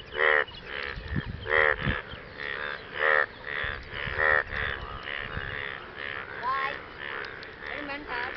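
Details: Frogs calling after rain to attract partners; grating, nasal croaks repeated in quick irregular series, louder at first and then denser and softer, with a few low thumps and faint squeals.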